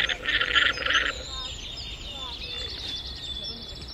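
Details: Llama giving a loud, nasal, harmonic call lasting about a second, made of several pulsed bursts. It is followed by a fainter, thin whistle-like tone and a low background hiss.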